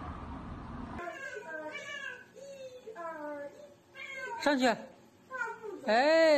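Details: Domestic cat meowing in a row of short, wavering, harmonic mews, some rising then falling, ending in a louder, drawn-out bent meow, with background sounds in between.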